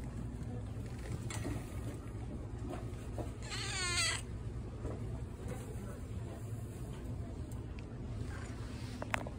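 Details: Patti the cat, kept at a pet store, lets out a single quavering meow midway, its pitch wobbling up and down, over constant low-pitched store hum and faint background clatter.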